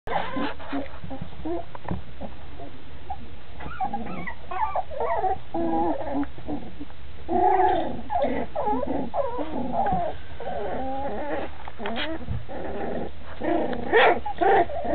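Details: Cocker Spaniel puppy at play, making a busy run of wavering whines, yips and low growly sounds over constant background noise.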